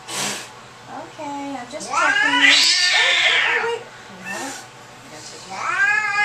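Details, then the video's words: Domestic cat freaking out at the vet, giving a drawn-out, rising-then-falling angry wail in the middle, a short yowl near the end, and people talking quietly indoors. "Angry cat at vets"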